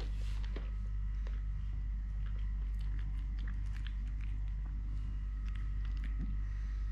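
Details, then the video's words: Three-legged house cat Totoshka purrs continuously while eating; a deep, even rumble fills the background beneath frequent crunching bites and chewing noises indoors. "LITTLE GREMLIN PURR PURR | Having Food, Playing, Walking, Fighting with hand, purring"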